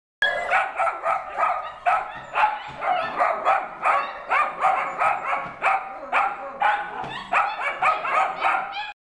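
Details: Ten-week-old Australian Shepherd puppy at a rescue intake facility, yapping in a rapid run of short, high barks, about two each second, steady throughout with no other sounds.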